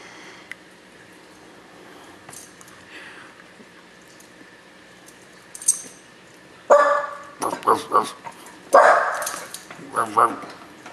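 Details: A dog bursts into barking after a long quiet stretch: several sharp, harsh barks in quick clusters during the last four seconds, with a person talking and faint room noise.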